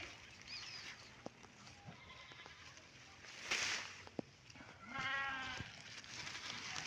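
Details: Goats tied up outside near the owner's home after being brought freshly cut fodder; one goat gives a wavering, harmonic bleat near the five-second mark, with fainter calls earlier over rustling and background noise.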